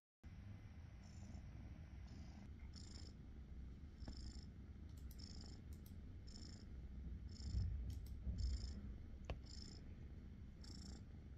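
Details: Cat about five months old, found in the forest, purring affectionately with its owner: a steady low rumble throughout, with faint repeated high ticking sounds above it.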